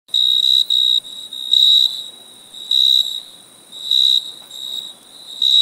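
A cricket chirps in a steady high-pitched trill, broken into short pulsed bursts.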